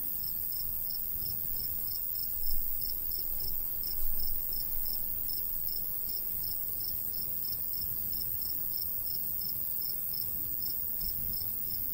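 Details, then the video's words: Cricket chirps from a golden wheat field on a summer day in the countryside: a regular stream of high ticking pulses over a breezy low hum, with a couple of soft dull bumps early on. "Countryside/cricket sounds"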